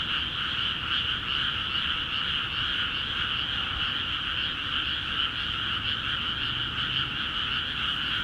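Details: Chorus of many frogs in newly flooded paddy fields of Akiha Ward, calling energetically; overlapping quick croaks merge into a constant shimmering wall of sound at two pitch levels, with a soft low background hum.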